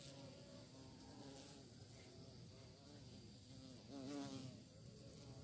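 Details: Bee searching for prey, a continuous humming buzz that rises briefly in pitch and loudness near the end as it flies nearby, with low background rumble.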